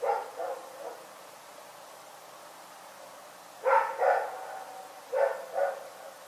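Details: A dog named Rex barks at night in Pyrga: three quick barks at the start, a long quiet stretch, then two pairs of loud, sharp barks spaced about a second and a half apart.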